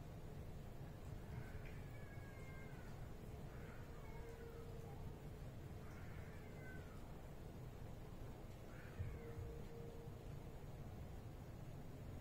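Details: White odd-eyed stray cat, seen again after two weeks away; four drawn-out meows, each falling in pitch, spaced a few seconds apart over a steady low rumble of background noise.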